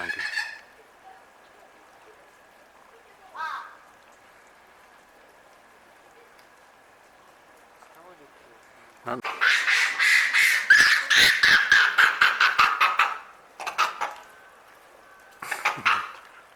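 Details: Japanese macaques at Asahiyama Zoo in Hokkaido, Japan, loud before the camera turned on them and quieting after: a dense burst of harsh, shrill, rapidly repeated screaming calls around the middle, with shorter calls before and after and a steady background hum.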